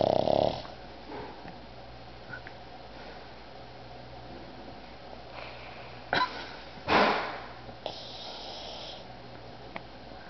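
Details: Otis the pug snoring while asleep indoors: a loud rasping snort at the start, then a low quiet hum, two sharp snorting breaths around six and seven seconds, and a brief hissing wheeze soon after.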